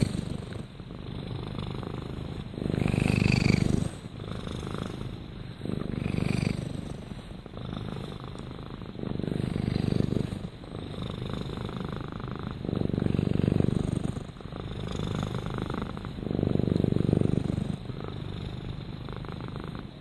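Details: Rama the domestic cat purrs steadily, a low pulsed rumble swelling with each breath roughly every three seconds, louder on alternate inhale and exhale phases.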